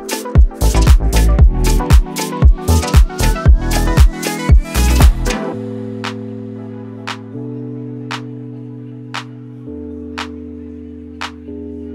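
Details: Upbeat music with punchy drum beats and a rising synth line, then sustained chords with sparse percussive hits; no animal voices.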